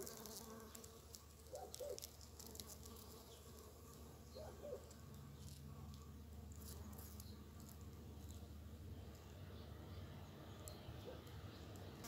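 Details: First bumblebees of early spring, among snowdrops and primroses as nature wakes: a low steady humming drone with soft harmonic bands, quiet throughout, with faint ticks and rustles in the background.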